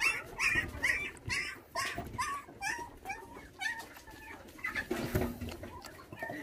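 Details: Bottle-fed orphaned puppies, whose mother was taken when they were six days old, whine indoors while feeding; short high squeaky whimpers come about twice a second, alongside a person speaking gently.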